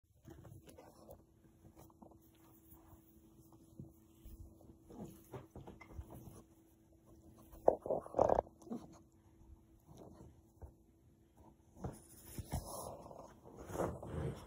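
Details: A jealous Boston Terrier gives short, irregular grumbling vocal bursts, with a stronger harsh burst near the middle and louder rough noises toward the end, over a faint steady hum.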